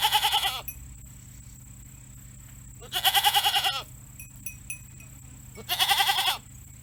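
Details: A domestic goat kept at home, a mother calling after her kid was moved to another place, possibly from worry; three loud, quavering, wavering bleats of under a second each, spaced about three seconds apart, over a steady low hum.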